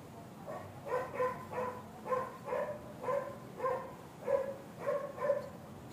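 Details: A Siamese cat looking out a window gives short, tonal chirping calls in quick pairs, about twice a second.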